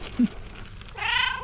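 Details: Domestic cat trill, described as a meow-purr mix used to greet a liked person or animal, learned as a kitten from its mother: a single brief, rounded chirping call near the end, preceded by a soft click and low room noise.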